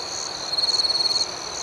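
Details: A cricket sings at night: a fast series of evenly spaced pulses forms a bright, high trill lasting under a second. A constant high ringing from other insects sits behind it.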